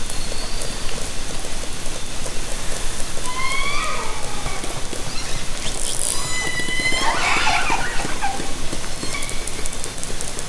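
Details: Haro Strait orcas recorded by kayak-deployed hydrophone in summer 2010: two clear harmonic calls, one wavering midway and another rising smoothly later, set against a dense crackling underwater background.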